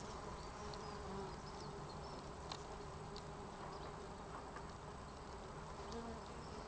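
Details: Continuous buzzing from a courting pair of red mason bees (Osmia rufa), a dense even drone with soft tonal bands underneath and a few scattered clicks.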